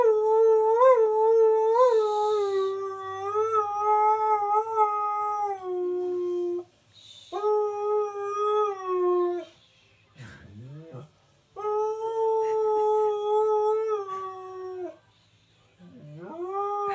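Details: Male husky-malamute cross howling along to favourite television adverts, a different song for each, indoors: a series of long sustained howls with small wavering rises, broken by short gaps, squeaky yips and sliding whines.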